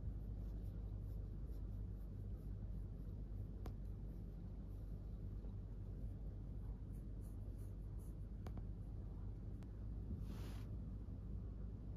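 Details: Only a steady low indoor rumble with a few faint clicks and a brief scratchy rustle; no animal calls.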